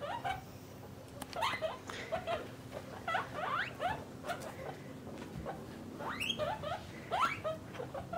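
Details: Pet guinea pigs, a parent and young kept in separate cages, make soft rising squeaks and short whistles at irregular intervals over a steady background hum.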